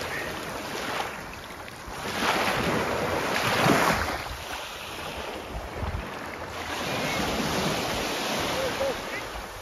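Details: Outdoor wind buffeting the microphone with surf-like rushing noise that swells and fades, and faint voices in the background; no animal calls.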